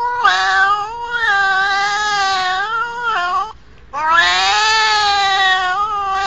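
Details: Angry cat caterwauling: long, drawn-out harmonic yowls that waver and bend in pitch, a sustained wail of about three seconds, a brief break, then another rising, strained howl.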